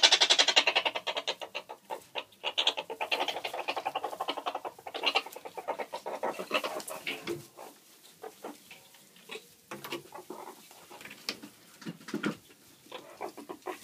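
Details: Captive alpha female meerkat Snookie, in an aggressive mood and prone to leaping at her owner, makes fast raspy pulsed chattering, about four pulses a second. It starts loud and dense, then thins into scattered bursts indoors; laughter and a spoken 'no' come after.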